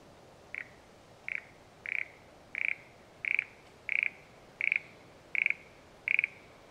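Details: Frog in the countryside around a satoyama, calling in an even series of nine short, rattling, high-pitched notes, each a tight burst of pulses, repeated about every 0.7 seconds against soft ambient hiss.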